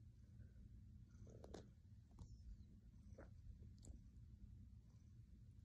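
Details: Silver grey male cat purring while kneading a comfy blanket on his owner's lap: a steady, deep, low rumble running continuously throughout, with a few faint soft clicks and rustles on top.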